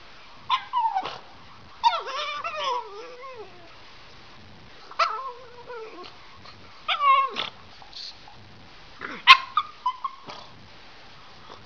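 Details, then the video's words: Pug "talking" in a string of whiny, yodel-like vocal bursts that wobble up and down in pitch. Five separate outbursts come with quiet pauses between them, some drawn out and wavering, others short and sharp, with no other clear sounds. "AMAZING PUG TALKS"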